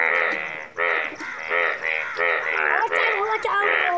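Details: Yellow frogs in Nepal keep up a chorus of nasal, rasping croaks, about one every half second, blurring into one another as several animals call together in the open.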